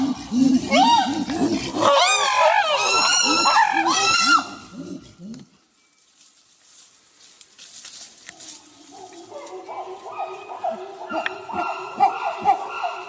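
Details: Two chimpanzees pant hooting together, loud rising hoots climbing into shrill screams, then a pause before fainter replies from other chimpanzees farther away.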